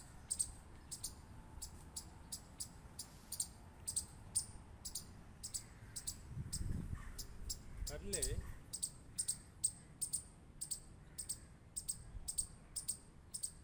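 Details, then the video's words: Squirrel clicking: sharp, dry clicks repeated about four times per second in an uneven series, with a brief low voice-like murmur near the middle and faint higher chirps behind. "Squirrel Clicking Sound | Squirrel Sound"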